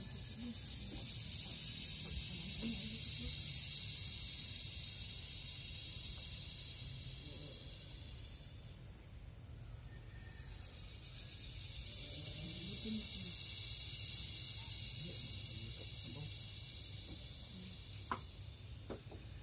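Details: Forest chorus of Philippine cicadas (kuliglig): a shrill high buzz that rises to a loud peak, fades almost away near the middle, then surges again and slowly tapers off, with a few faint clicks and knocks.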